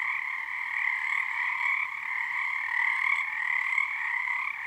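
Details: Nighttime frog choir on Harstine Island, Washington, numbers building under the season's first full moon; continuous layered trilling from a large group, two stacked tones with slight wavering resonance and small rises in loudness.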